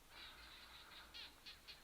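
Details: Barking geckos calling in the Aha Hills, which take their name from the sound, on a 2014 overland trip through Botswana and Namibia; sharp, clicky chirps repeat in quick bursts, several sounding at once, with a low rumble beneath.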